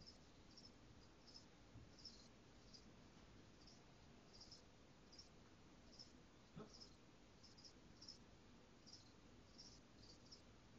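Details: Crickets kept in a cage give short, high chirps repeated roughly every half second in a steady rhythm, quiet against constant low room hum.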